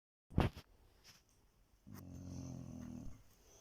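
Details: Chow Chow snoring loudly before getting a shock when woken; a sharp knock opens, then after a pause comes one low, buzzy, rattling snore lasting just over a second.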